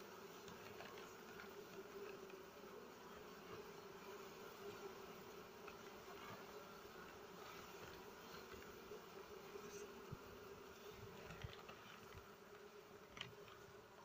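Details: Honey bee colony smoked by a beekeeper during honey harvest, in the season when mango, rubber, kapok, rambutan and coffee trees flower; a steady, even mid-pitched drone of many bees fills the clip, with faint clicks and rustles.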